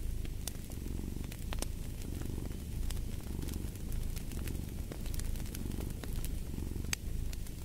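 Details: Purring cat by a fireplace: a soft, low rumble swelling and fading in breath cycles, with bright fire crackles snapping over the top.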